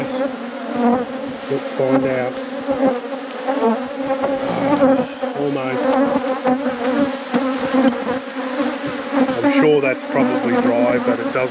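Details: Honey bees of a thriving apiary colony during a hive inspection at peak production: a steady, low droning hum holding two even tones throughout, with brief faint murmurs of a human voice over the top.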